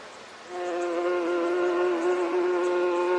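A bee hums with a continuous, even buzz from its beating wings, low-pitched and rich with overtones. The drone starts abruptly and stays steady, with only slight wavering in pitch.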